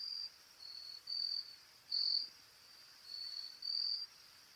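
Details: Carolina grasshopper in a courtship display, filmed close up: six short buzzy crackling bursts in under five seconds, high-pitched and uneven in spacing, with quiet gaps between them.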